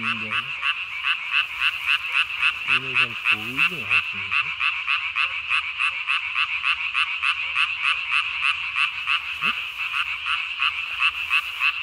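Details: Calling Japanese tree frog after dark on 3 May 2020, its vocal sac ballooned to the size of its body; a quick, very regular string of crisp pulses, roughly three per second, with brief low croaks early on.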